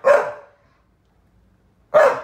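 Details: Lizzie, a rescued Saluki born in 2012, complains after her younger playmate Fred, a Staffy Ridgeback, stops playing: two sharp, harsh barks about two seconds apart, with silence between.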